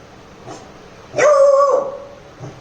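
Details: Labrador Retriever puppy, pranked to test whether it is protective, gives one long, drawn-out tonal bark, almost a yelp, held steady for about half a second before fading, with faint short sounds before and after.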